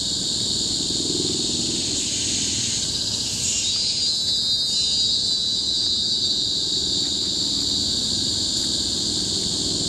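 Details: Cicadas in tropical forest on Bukit Timah Hill, Singapore, in 2017: a loud, continuous shrill drone, high and steady, swelling midway into a brighter, sharper band before settling back to a monotonous hiss.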